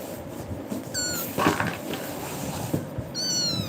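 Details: Frightened kitten crying indoors after being scared by another cat, then leaping onto a person and clinging; two high, thin meows with rising-then-level harmonics, the second longer, with a woman speaking soothingly and a rustling thump between them.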